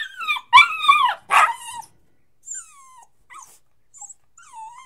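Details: A crying puppy gives loud harsh whining yelps at the start, then softer thin whimpers that dip and rise, spaced with short silences.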